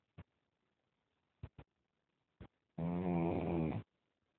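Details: Pug asleep, giving a single drawn-out rumbling snore of about one second, rich in low rasping tones, preceded by a few short soft clicks in a quiet indoor space.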